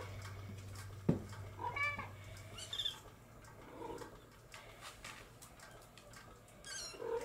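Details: Bengal kittens from July 2022 litters making short, high, chirping mews scattered through the stretch, some rising squeaks and a sharp thump near the start, over a low steady hum.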